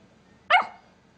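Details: Pepper, an angry Miniature Pinscher, gives one sharp, loud bark lasting under half a second, then quiet follows.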